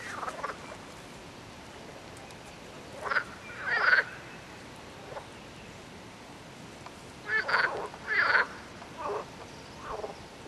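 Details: Frogs croaking in two separate bouts, each a cluster of harsh, rasping bursts a fraction of a second long, with quiet pauses of several seconds between them and a faint hiss of background noise.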